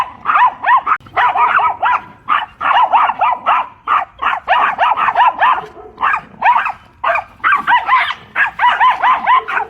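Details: Two small Pomeranian dogs, a mother and daughter, in a playful scuffle with a larger German Shepherd: rapid high-pitched yapping barks in dense bursts, dozens of sharp yips overlapping almost continuously with brief pauses.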